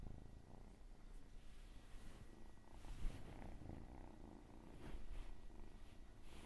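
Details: Low, even purr from a domestic cat, a dense rumbling texture that stays level throughout with light rustles and a faint background hum.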